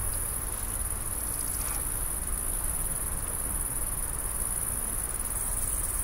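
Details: A great green bush-cricket, observed while laying eggs into the earth with its long ovipositor, gives a continuous, high-pitched, sizzling buzz that holds steady without pause, with a dull low-frequency rumble underneath throughout.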